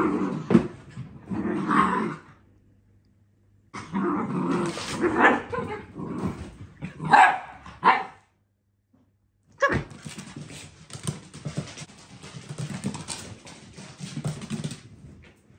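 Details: Dachshunds getting too close to swans give bursts of harsh barks mixed with low growls and short yips, broken by a brief silence, with a woman talking in Dutch and loud rustling noise in between.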